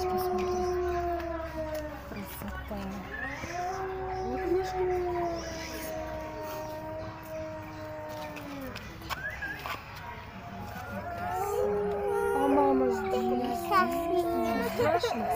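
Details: Arctic wolves at Kaliningrad Zoo howl in long, smooth, overlapping tones that slide gently down and rise again.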